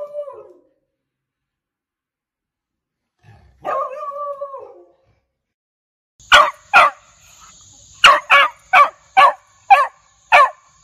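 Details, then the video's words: Beagle barking aggressively and loudly: a drawn-out howling bay at the start, then a run of sharp, evenly spaced barks about twice a second, with a faint steady high tone behind. "Beagle Barking Sound Effect"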